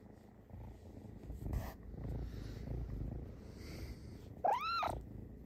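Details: An Egyptian Mau kitten (Felis catus) purrs steadily, then gives a short, bright chirping meow that rises and falls, combining his meows and purrs: chirp.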